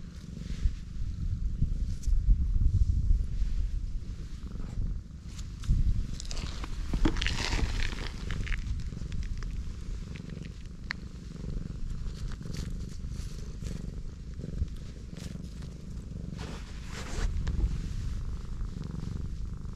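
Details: Pregnant black cat lying belly-up while her big belly is stroked, purring in a low continuous rumble; a louder rustling burst near the middle and faint handling noises throughout.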